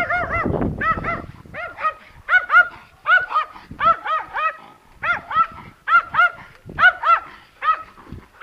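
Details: Timmy, a terrier, gives a fast run of high, yelping barks with ringing harmonics, about two per second in short bursts separated by brief pauses; faint rustling underneath.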